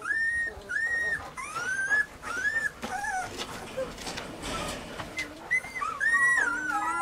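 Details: Weimaraner puppies, named Bailey, Hailey and Jenny, giving high whimpering whines and yips, many arched and falling tones in quick succession, several pups overlapping with rustling between cries.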